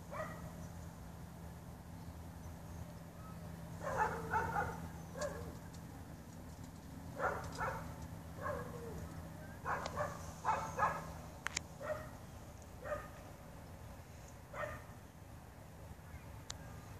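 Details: Dog barking and yipping in irregular clusters, some barks close together and some sliding, over a steady low hum with faint background noise.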